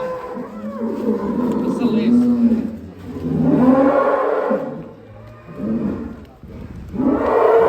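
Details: An agitated giant cow rampaging out of its pen gives several loud, low, drawn-out bellows separated by short pauses, with people talking nearby.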